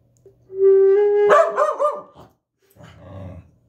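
A steady flute note, then a corgi answers with a wavering, yodelling howl and a low grumble.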